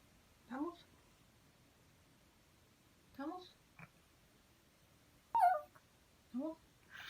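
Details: Pet dog named Tori whining indoors while begging for beef: four short, tearful, falling whines spread across seven seconds with quiet pauses between them.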